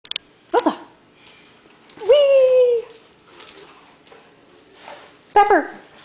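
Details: Female pet dog performing a trick, giving short rising and falling howled 'woo' calls on cue, one longer drawn-out tone, amid a person's voice prompting and praising her indoors.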